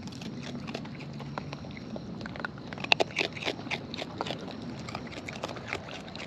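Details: Close-up of wild raccoons eating, with loud, wet smacking and crunching bites clustered in quick runs, strongest midway, over a faint low hum.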